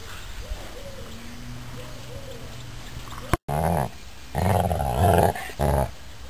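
A Basset Hound gives soft whimpers, then a run of loud, deep, drawn-out baying calls.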